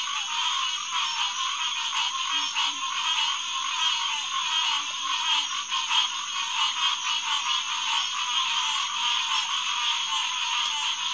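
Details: At night on June 2, 2021, around 9:10 pm, green tree frogs (Hyla cinerea) chorus at SMNWR's Headquarters Pond. Dense, rapid, overlapping calls continue without a break, with a few soft low grunts in the background.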